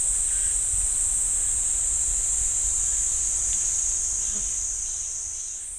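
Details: Pine forest cicada chorus at Ssanggyesa temple, Jirisan National Park: an unbroken shrill, high buzzing that rises slightly and fades in loudness toward the end, with a few faint scattered chirps.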